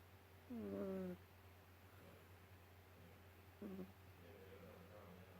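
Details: Ragdoll kitten asleep on a couch, tired after playing, giving a squeaky whistling snore that slides downward for about half a second, then a much shorter squeak three seconds later, against constant background hum.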